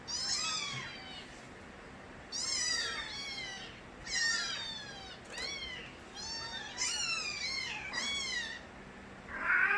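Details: A litter of Korean street kittens belonging to Nabi cries vigorously, bursts of several shrill meows clustered every two seconds or so, each call arching and dropping in pitch, quiet gaps between groups.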